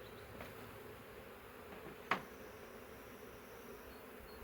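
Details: Massive honey bee swarm caught in a woodland swarm trap keeps up a low, steady hum, with a single sharp tap partway through.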